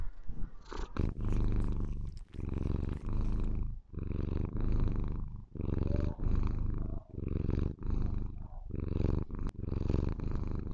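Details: Maine Coon kitten Lilith, white-coated, purring to show her affection for the owner; deep rolling purr in breath-length phrases of about a second, with a few clicks and rustles at the start.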